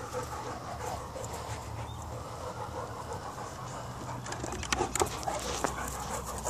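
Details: Two Presa Canario dogs, Niko and Nala, play fighting: fast, rough panting breaths come about three per second over a low steady rumble, with a few sharper scuffling thumps and knocks near the end.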